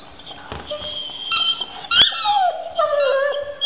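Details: Domestic dog making high, thin whining tones, wavering and overlapping, then sliding down into a lower drawn-out whine; a sharp click in the middle.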